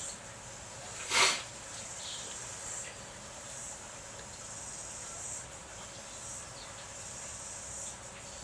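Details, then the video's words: In rainy weather, cicadas drone in a continuous thin, high whine that swells gently at intervals. A sharp click sounds near the start, over a background hiss of rain. "Notice the cicadas, you can hear them now."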